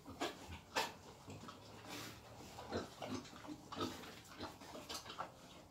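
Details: Wild boar being taken for mating, producing short, rasping grunts spaced irregularly about once a second. A low background rumble continues throughout.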